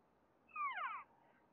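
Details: Female elk parading behind a house give an unusual cry: one short, harmonic, nasal-sounding note that glides downward over about half a second, against a quiet background.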